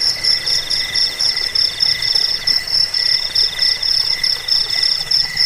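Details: Crickets in a recording meant to drive off rats, lull listeners to sleep and train songbirds: several high, finely pulsed trills at different pitches overlap continuously, their loudness swelling and fading in a steady rhythm about twice per second.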